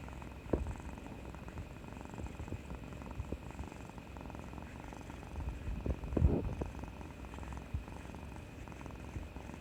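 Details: Kuri, a pet domestic cat, recorded 18 March 2020 indoors and seeking affection after a vaccination injection. She purrs in a steady low rumble throughout, with a louder swell near the middle and a few soft bumps of handling.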